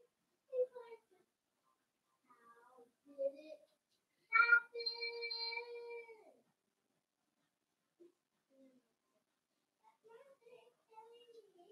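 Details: Blenheim Cavalier King Charles Spaniel puppies, a litter of five born at New Year's, playing indoors in a puppy pen with their mother Paris; short high whimpers and yelps, then a sustained harmonic whine of about two seconds, with quiet gaps between.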